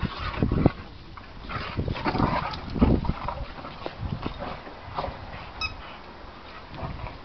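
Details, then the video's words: Boxer dogs Willow and Charley at play, giving low rumbling growls and short grunting bursts, loudest near the start and middle, with a brief high squeak late on. "Willow and Charley Boxer dogs playing"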